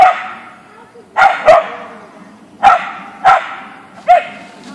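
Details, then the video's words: Siberian Husky (Ausky) barking on meeting a deer in a backyard: five sharp, ringing barks, singly and in quick pairs, each with a short fading echo, over a faint low hum. "Dog Meets Deer"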